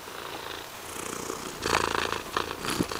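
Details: Low, continuous purring from Mysli the cat, growing louder and rougher in the second half of this short stretch.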